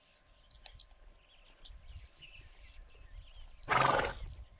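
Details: At a Kenyan watering hole, a Grévy's zebra from a wild herd gives a single rough, noisy snort lasting about half a second late on. Earlier come brief high bird chirps and soft rustling over a faint constant hum.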